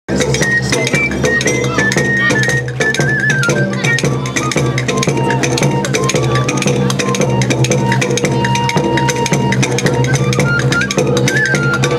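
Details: Loud drum-driven music with a bass drum, cowbell and melodic lines fills the clip throughout, with no animal voice audible.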